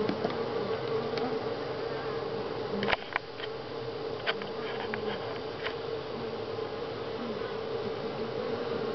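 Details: Continuous humming drone from many honey bees at Grass Lake Sanctuary in July, week six, with sharp knocks and clicks breaking in near three and four seconds.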